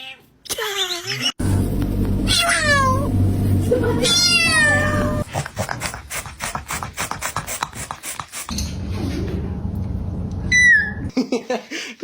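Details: Domestic cat making odd vocal sounds: bursts of quick, stuttering chirps sweeping up and down, a low steady drone, a run of rapid clicking pulses, and a short high squeak near the end.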